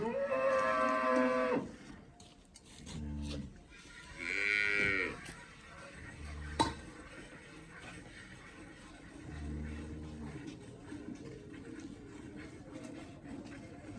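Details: Two moos from a Cholistani Friesian cross cow in Pakistan, the first long and deep, the second shorter and higher, with thuds and a low murmur of people in between.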